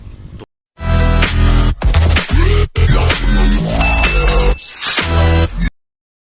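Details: Loud electronic dubstep music with heavy bass and sweeping tones fills the recording, cut by short gaps of silence; no animal sound is heard.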